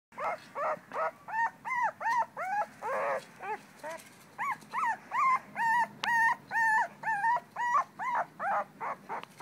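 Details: Syrena, a two-week-old female blue-nosed American Pit Bull Terrier puppy, recorded 21 December 2011, gives a steady run of high, arched whimpers and squeals, roughly two per second, each short and rising then falling in pitch.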